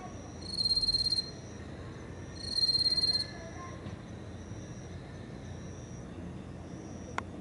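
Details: Close recording of a small yellow bell cricket in grassland by a fence at 21:49, 9 September 2018; two quick, high buzzing pulsed trills, then the singer falls silent, leaving faint background and a small click near the end.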